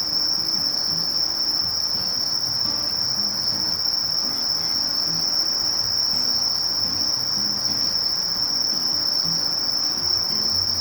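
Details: Continuous shrill singing of a sasakiri katydid (Conocephalus melaenus): one level, high, hissing buzz held without interruption, with weak low rumbling in the background.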